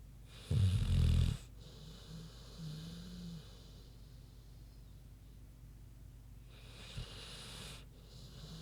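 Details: Queenie, a big pig, snoring in her sleep: a loud, deep, rattling snore, a softer drawn-out one a couple of seconds later, and a faint snort near the end.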